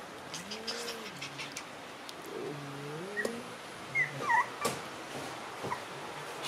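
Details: Shiba Inu puppies in their room, a bit scared of the noise of an air-conditioner being installed, giving soft rising-and-falling whimpers, with clicks and bumps from the work nearby.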